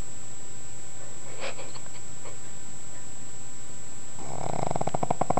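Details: Dozing pug: soft breathing noises, then a rattling snore that builds quickly in loudness over the last second.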